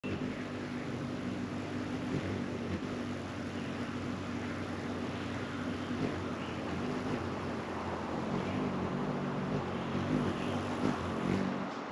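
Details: Steady low engine-like rumble with broadband hum throughout, no distinct animal calls standing out.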